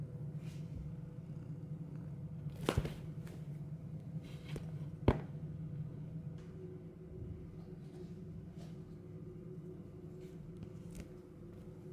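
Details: Low steady hum fills a quiet indoor room, broken by a few sharp clicks and soft knocks near the start, with no animal voice heard.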